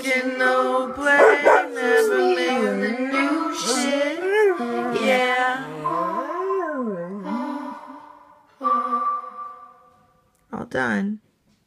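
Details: Vizsla named Captain sings to his favourite song, Lorde's "Still Sane", with long wavering howls that swoop up and down, then two short bursts after the music stops.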